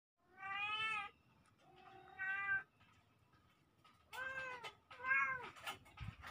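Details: Two kittens, cat babies recorded October 17, 2024, giving a few clear harmonic meows, each about a second long with an arched pitch, separated by short quiet gaps and ending in a quicker pair of calls.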